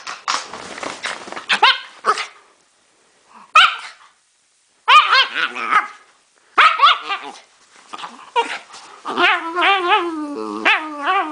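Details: Pet dog giving strange noises: rapid harsh barks and yelps in bursts with brief silences, then a long wavering, warbling whine that rises and falls near the end.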